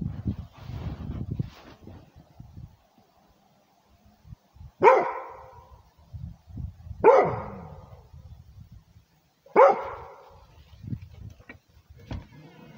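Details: Rhodesian Ridgeback barking to guard its territory: three loud, sharp barks spaced a few seconds apart over low rumbling and scuffing background noise, with a short clipped bark near the end.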